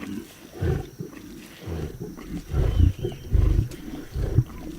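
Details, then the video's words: Lions eating a zebra carcass: deep, rumbling growls and grunts in bursts roughly every second, low-pitched and rough, with wet chewing and tearing noises between them. "Lions Eating Zebra Carcass Sound Effects"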